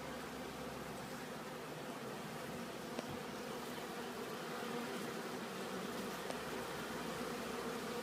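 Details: Pollen-laden honeybees flying back to their hive at a bee farm, a continuous massed droning buzz that swells slightly in the second half, broken by a couple of small sharp ticks.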